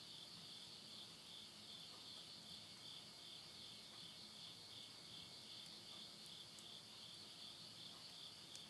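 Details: Insects calling at midnight near Yurihama, Tottori, Japan, in September 2020 as summer ends: a dense, high, steady shrill trill that carries on without a gap, with quiet low flame rumble from a house stove.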